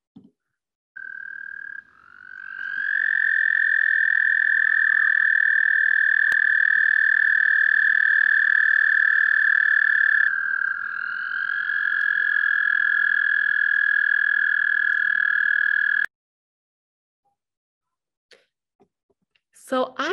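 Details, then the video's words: American toad, a big toad with brown lumpy skin, giving a long, even, musical trill that holds steady for about fourteen seconds, briefly dipping in pitch and restarting midway, then stopping abruptly. "let's listen to this big american toad sound [Music] so i"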